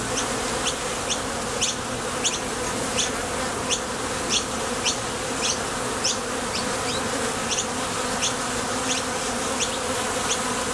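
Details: At a Top Bar Hive entrance, foraging honey bees take off and land with a broad, constant buzz. Sharp little rising chirps come at an uneven pace, about every half second.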